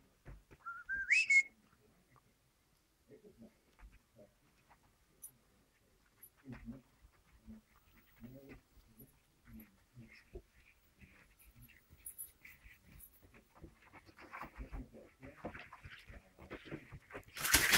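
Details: Standard Poodle pups, six weeks old, at play in a pen: a sharp, rising whimper opens, followed by a long stretch of scuffling, pawing and rustling that grows busier and ends in a loud burst.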